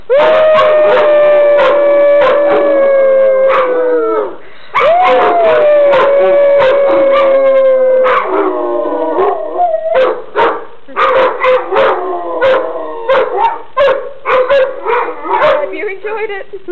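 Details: Longhair and shorthair Weimaraners howl along with their owner in long, steady, sliding tones, then break into yips and short wavering cries.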